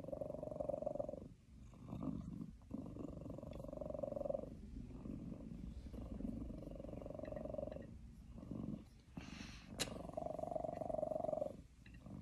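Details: Male pet cat held on an owner's lap purrs steadily despite being annoyed about treats; continuous low rumbling purr with rhythmic breath pulses and brief pauses, plus a faint click near the end.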